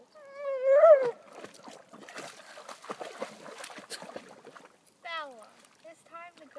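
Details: Bella, a German Shepherd protesting that it is time to go, opens with a loud rising-then-falling whine, then rustling and scuffling noises, followed by shorter wavering whines near the end.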